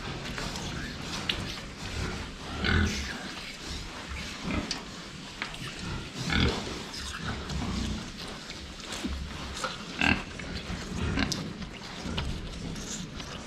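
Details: Pigs drinking water, filmed front-on, with scattered low grunts roughly every few seconds over a background of sloshing, clanking and faint rustling.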